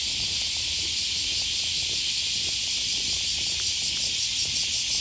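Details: Cicadas along the Okawa River, Osaka, Japan, on the first Thursday of August: a loud high sizzling drone that breaks into rapid rhythmic pulses toward the end, with quiet low background rumble.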